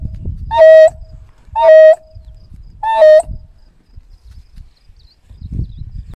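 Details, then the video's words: ['African wild dogs calling out for a lost pack member: three squeaky, creaking, harmonic-rich calls with a flat high tone, spaced a little over a second apart, then quiet, over low rumbling background noise.'] "Wild Dog Call"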